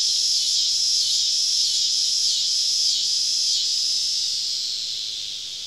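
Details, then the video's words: Cicada symphony on a summer evening in southern woodland, with the insects all around a camping spot: a shrill, continuous whirring drone pulsing with brief regular dips, fading away over the last second or so. "Southern Evening Summer Cicada Symphony"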